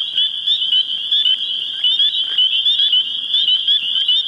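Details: Springtime mating call of spring peepers in New Hampshire: many high, whistled rising peeps overlapping closely in a pulsing shrill chorus, with loudness swelling in quick regular beats.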